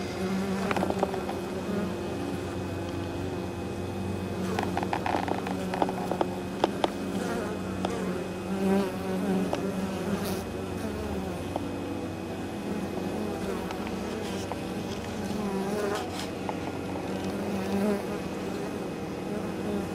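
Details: Honey bees returning to the hive with pollen and probably nectar on 23 October, in unusually mild weather, near fields beside the apiary: a dense continuous hum of many bees, with passing individual buzzes rising and falling in pitch and faint clicks.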